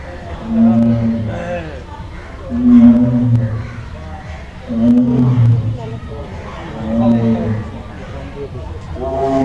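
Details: Caged Royal Bengal tiger roaring: four deep, harmonic moaning roars spaced about two seconds apart, each swelling and fading, with human voices murmuring in the background.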